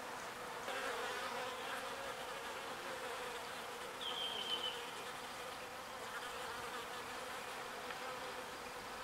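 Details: Continuous humming drone of small bees gathering pollen and bringing it to the hive, with slight swells in loudness and a short faint whistle partway through.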